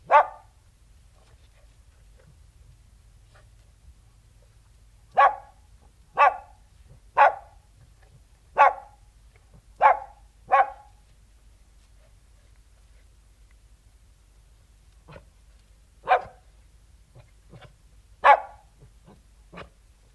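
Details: Outdoors, a King Charles Spaniel delivers bursts of sharp barks: one bark, a pause, a quick run of six, then scattered fainter yaps and two more loud barks, with long quiet gaps between.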